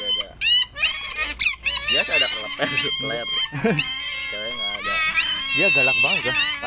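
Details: Shrill, cute-sounding calls of pet otters kept together, heard at close range: bursts of high wavering squeals and chirps, some bending up and down, interleaved with people chatting in Indonesian.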